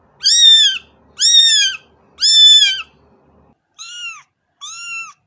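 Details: A cat gives three loud, nasal meows in quick succession, followed by two softer, thinner meows after a brief pause.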